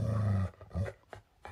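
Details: A Golden Retriever, refusing to eat a chicken drumstick and sulking after its owner's joke, gives a low, throaty grumble, then a second shorter groan, with faint clicks indoors.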